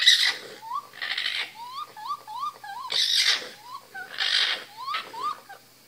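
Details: Baby raccoons in an attic give bird-like rising chirps and harsh, breathy chittering bursts in quick succession.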